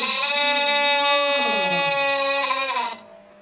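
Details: A lamb answers a call with a long, drawn-out bleat of about three seconds, strongly harmonic and wavering slightly in pitch before fading out; a continuous musical tone runs beneath it.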